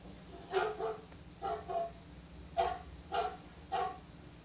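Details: Dog giving deep, gruff barks, five of them spaced roughly half a second to a second apart, each short and punchy, with a constant low background hum.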